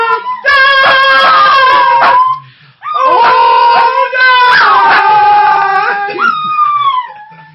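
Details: An eldest male Shih Tzu "sings" along to My Fair Lady, a song he loves, howling in long, wavering tones that slide up and down with the music while another puppy barks in the background.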